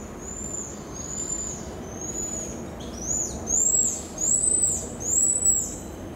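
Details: Pied tamarin in the Brazilian Amazon: a series of high, thin whistles, each a gently arching note. Faint whistles come first, then louder ones follow about once a second, over a steady background hiss.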